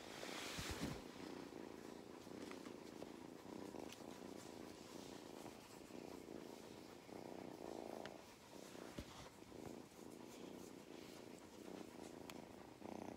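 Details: Belly rubs set Mustard, a cat on an Irish farm in County Kilkenny, purring; a low steady rumble with rhythmic swells, interrupted by a few handling thumps and rustles.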